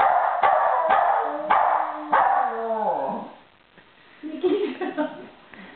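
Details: West Highland White Terriers howling as a duet with barking from a third dog; sharp barks punctuate a long howl that slides downward and fades, followed by softer yips.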